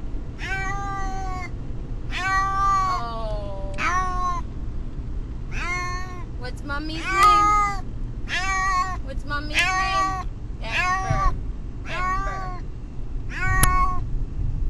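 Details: Pet cat Brutus the Beefcake, upset on the trip to the vet, calls in a long series of about ten wavering meows spaced roughly a second apart, some rising then falling, with constant road rumble underneath.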